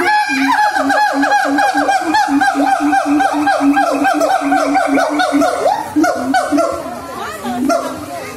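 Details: A siamang (Symphalangus syndactylus), a Sumatran gibbon, sings a fast series of loud, ringing barks, nearly four notes each second.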